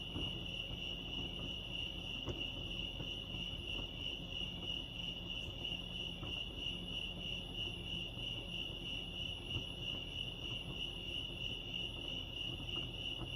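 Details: Chirping crickets at Lake Arrowhead, California, producing a constant bright high-pitched pulsing drone, steady in loudness, with a muted low background hum beneath.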